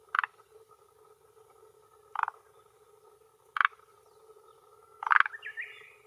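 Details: Male Forest Green Tree Frog calling with inflated throat sac at a hillside pond shore in Japan, late afternoon, early June 2021, claiming territory and attracting females; four short rattling croak bursts roughly every one and a half to two seconds over a steady droning background hum.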